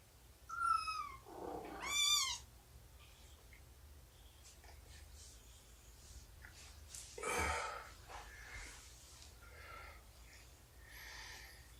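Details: Indoor morning scene from 2017-09-24 with Shelby, an estimated two-year-old mother cat, nursing and playing with her kittens of about three months. Two quick meows open the recording, then soft scattered rustles, a louder burst and faint chirps.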